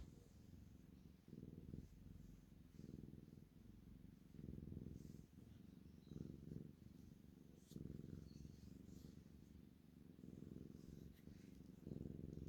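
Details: Siamese kitten purring steadily, deep rumbling pulses rising and falling in breath-length swells, with faint soft rustling above.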